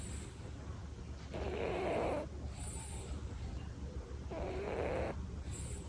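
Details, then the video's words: Tori, a Devon Rex house cat, snores in deep sleep, with two rough, wheezy breaths of about a second each, spaced some three seconds apart and rising slightly in tone, set against low background hum. "코골이펀치왕 토리"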